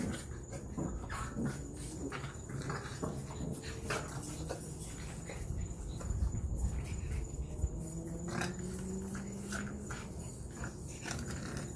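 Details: Eight-week-old French Bulldog puppies give soft whines and grumbling noises while playing with their mother, with a person talking nearby.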